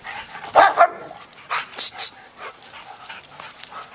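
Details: Joy, a senior German Shepherd, and Riley, a one-year-old Pit Bull pup, both rescue dogs up for adoption, play together; a quick pair of barks, then three more in close succession, fading into light yips and rustling.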